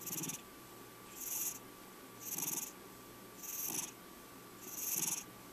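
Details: Five-year-old male cat purring at rest; five regular breathy pulses, each a soft hissing swell over a low rattling rumble, spaced about a second apart, with a quiet constant hum.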